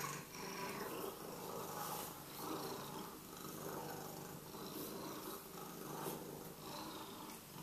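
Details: Affectionate Sphynx cat in the morning, its purr a continuous grainy rumble with gentle pulsing swells and light rubbing sounds on top.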